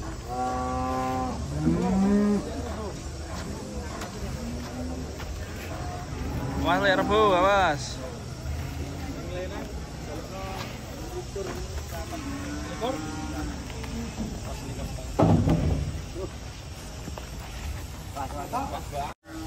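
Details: Giant cows unloading from a truck. Short, scattered moos and grunts come from several animals, including a rising wavering call near the middle, amid clatter and a steady low engine rumble.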